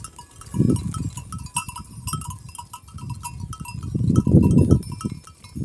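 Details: Kangal sheep in Kayseri, Turkey, giving low, coarse bleats in two main bursts, one near the start and a longer, louder one near the end. Repeated ringing bell tones run through the whole recording.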